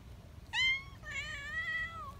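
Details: Young community cat, excited when held, lets out a sharp, loud, piercing yelp, then a longer shrill, nasal, wavering cry, close and clear against a quiet background.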